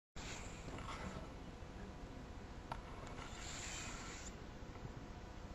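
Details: A sleeping seven-year-old cat, deeply relaxed, snores indoors: soft breathy hiss-like breaths that swell and fade about every three seconds over a low steady room rumble.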